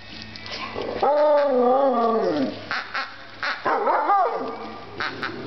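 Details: An Alaskan Malamute puppy demanding its new toy gives long, wavering howl-like whines, rising and falling in pitch, followed by shorter yelping whines; a person murmurs faintly.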